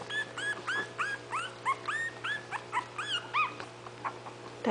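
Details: Five 20-day-old puppies poking around while waiting for their mother to feed them, giving a rapid series of high, squeaky rising-falling whimpers, several overlapping, with a steady low hum underneath and a brief voice at the end.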